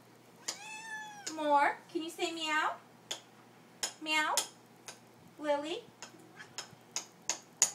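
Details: Hungry pet cats begging at supper time indoors: four loud, wavering meows in quick succession, each rising then sliding down, mixed with clinks of dishes and a woman's encouraging voice.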